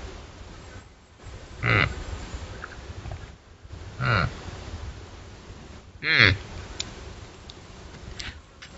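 A female deer gives three short, nasal, harmonic cries spaced about two seconds apart.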